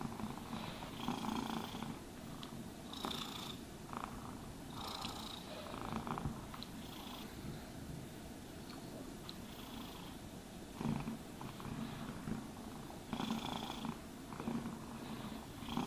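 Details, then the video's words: Purring domestic cat being groomed with a brush; a constant low vibrating purr underlies repeated brushing swishes, busiest near the start and end. "Cats Purring Sounds for Sleep and Stress Relief | Cat Brushing, Cat Grooming Asmr No talking"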